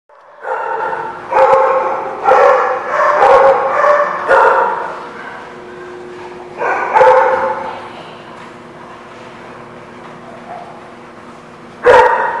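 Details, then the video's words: Dogs at The Barking Lot recorded on 17 October 2016, giving a burst of loud, rough barks in quick succession, then a pause and two more isolated barks, with a faint steady hum underneath. "The Barking Lot"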